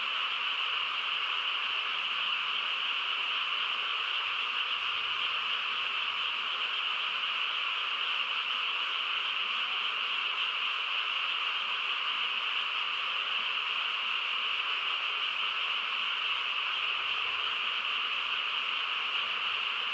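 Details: Frogs calling together on a quiet countryside night, a dense, unbroken chorus of overlapping trills that blend into a steady high shimmer for the whole twenty seconds, with no other clear sounds.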